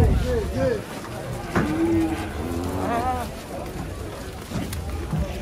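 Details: Giant bulls rampaging as they come down off a truck: short, wavering lowing moos rise and fall among shouting voices and background music.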